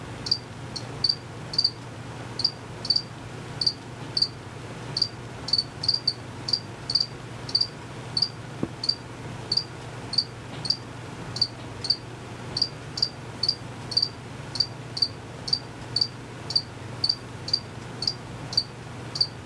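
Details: Chirping crickets, not visible, singing long before and after the recording; males make the chirp with fast wing movement. Crisp high chirps repeat around twice a second, occasionally doubled, over low hum.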